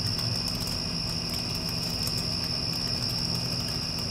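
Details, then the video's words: After a passing storm, crickets give an unbroken high-pitched trill at a constant pitch, layered over the steady low rumble of a running air conditioner. "Cricket Sounds with Air Conditioner (After Passing Storm)"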